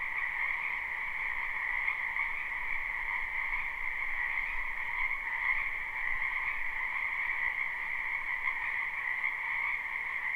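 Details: Many frogs croaking in a wetland during spring, a live unlooped recording: continuous pulsing drone of overlapping trills, a middle band and a brighter upper band, level and steady for the whole stretch.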